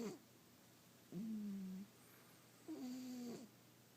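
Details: Domestic cat sleeping comfortably, snoring: three drawn-out, steady, low tonal breaths with a slightly nasal, buzzy edge, each lasting under a second and spaced about one and a half seconds apart, in a quiet indoor setting.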